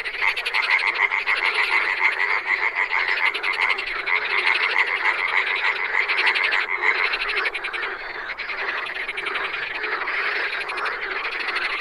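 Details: Frogs in the wild, a dense chorus of quick pulsed croaks; a bright repeated tinkling note runs through the first seven seconds before the rough, grating chorus carries on alone.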